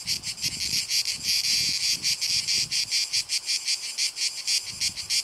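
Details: Rhythmic high-pitched buzzing of Cicada orni: short grating pulses following each other closely and evenly for five seconds, with soft low rumbles underneath.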